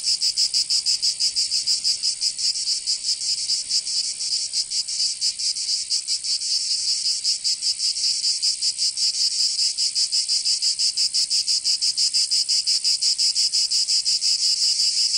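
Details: In the summer heat of Provence, southern France, cicadas produce a constant sizzling high buzz with rapid, slightly uneven pulsing, roughly three beats per second, filling the recording alone.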